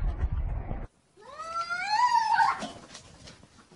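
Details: Cat during a real fight between two cats: after a burst of rough noise and a short silence, one long wavering yowl rises and swells for over a second, rich in harmonics, then breaks into a harsh, strained end and fades.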